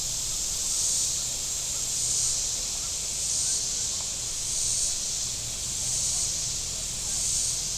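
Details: Cicadas on the shore of Table Rock Lake, southern Missouri, on a very warm Saturday: a dense, high hissing buzz that swells and fades about every 1.3 seconds, over a low rumble of boat engines on the lake.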